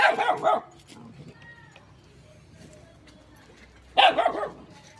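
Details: Small dog barking near a shy cat: two short, harsh, broadband barks, one at the start and one about four seconds later, with quiet room sound between them.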